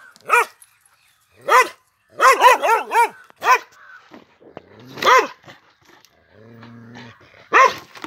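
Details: Male Pandikona guarding a farm gives loud, harmonic barks, a quick run of four in the middle, with spaced single barks and a low mechanical hum near the end.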